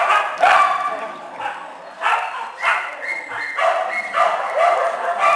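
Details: Small dogs and puppies in a shelter kennel, several voices overlapping in short high yips and barks in bursts, near-continuous with brief gaps, with human speech mixed in among the calls.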